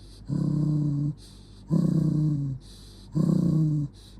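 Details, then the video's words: Jonggi, an angry dog, growling deeply in three long rumbling pulses of nearly a second each, spaced about 1.5 seconds apart, with a faint breath between them and a low background hum. "Jonggi the dog get angry"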